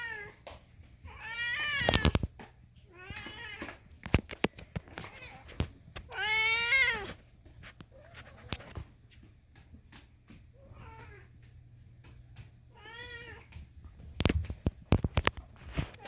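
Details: Kitten screaming in a small room: several loud, harmonic meows, some long and wavering, others short, spread irregularly, with sharp clicks and knocks between calls.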